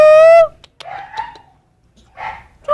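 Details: Puppies, a steady high whine that stops abruptly, followed after a pause by a few short, tonal yelping barks, with one more yelp after a quiet gap near the end.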